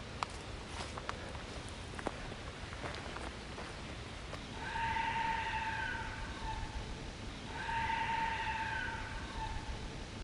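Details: In a forest in Japan, heard on a hike, a deer gives two long, steady, whistle-like calls, each held about two seconds; the hiker is unsure they are calls.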